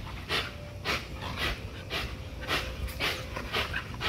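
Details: During an extreme spring pole workout, an XL American Bully pitbull pants steadily, each rasping breath about half a second apart, a regular pulse over faint background hum.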